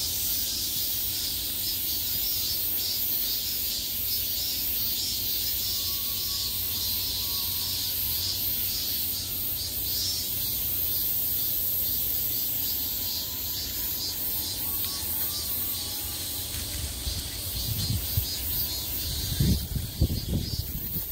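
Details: Steady shrill buzzing of many summer cicadas heard all around, a flickering high drone that holds for the whole stretch, with a few low knocking thuds near the end.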